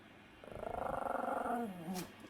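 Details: A Pomeranian snores in its sleep with a rapid fluttering rattle, soft and low, lasting about a second and a half before it trails off into a faint breathy tail.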